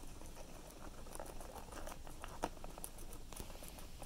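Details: Guinea pig chewing cilantro: short crisp crunches repeating several times a second, with one louder snap midway, in a quiet room.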